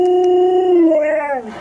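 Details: Alaskan Malamute mother Nuna with her puppies indoors, grumbling when they try to nurse: one loud, steady, tonal howl-like whine that holds level, then slides downward and fades near the end.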